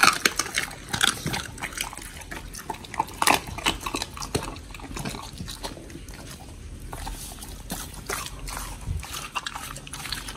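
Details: Raw-fed pit bulls Oli and Nommy at a prey-model meal of fish and meat. Loud crisp crunches open the stretch, easing into softer wet chewing and licking, with a few sharp bites near the end.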